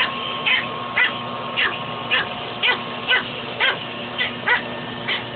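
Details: Pet dog named Fuzzy barking while picking a fight with a shop vac hose; short sharp barks repeated about twice a second in an irregular run, over a steady motor hum from the vacuum.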